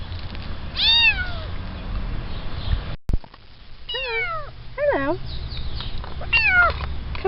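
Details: Rescued cats meowing while being fed in November 2013: several clear meows, each falling in pitch and drawn out, mixed with a person's friendly coaxing speech and a sharp click near the middle.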